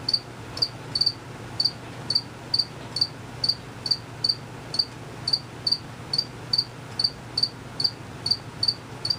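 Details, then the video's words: Cricket chirping unseen, a male moving its wings quickly; short high chirps repeat about twice a second in a steady train over a low constant hum. "Cricket Chirping for 5 minutes."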